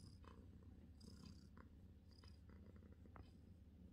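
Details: British Shorthair cat purring while relaxing indoors, a steady low rumbling purr throughout with a few faint soft clicks and rustles above it.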